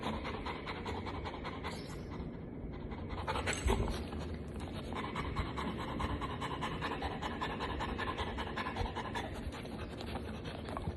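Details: A female Golden Retriever pants with quick, breathy, noisy huffs, about two or three each second and somewhat uneven, with a brief break in the rhythm partway through.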